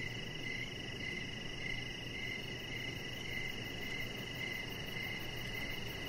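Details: Crickets chirping outdoors in the evening beside a deck lit with decoration lights while a chihuahua puppy lies nearby; steady pulsed chirps repeat about every half second over a constant hiss, with no other clear sounds.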